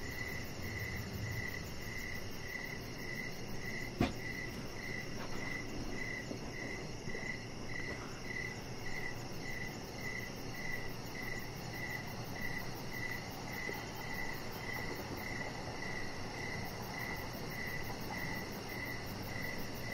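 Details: Crickets chirping at evening next to a deck lit with decoration lights, chihuahua puppy Rocket lying there; a long steady run of evenly paced high chirps, one sharp click near the start, over low rumble and a thin high hiss.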